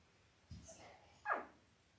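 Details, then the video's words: Five-day-old Labrador Retriever puppies from Belle's litter of eight, five males and three females, born October 15, 2023, on a live puppy cam; a brief soft rustle, then one short high squeaky whimper sliding downward, against a quiet background. "5 Day Old Labrador Puppies"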